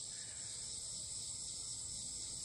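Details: An annual cicada, a common species that grows louder later in summer, gives a steady, high, hissing buzz that holds without a break, heard on an outdoor hike.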